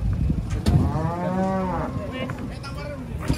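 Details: Big cattle coming down off a truck at Pasar Jelok in Indonesia; a single drawn-out moo with stacked harmonics arching up and down for roughly a second, over low truck rumble and faint voices.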